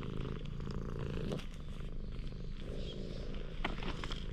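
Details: Stray cat met by chance in a parking lot, warming up to a person, filmed on a GoPro HERO8: a steady low rumbling purr throughout, with faint outdoor background noise and a few brief clicks.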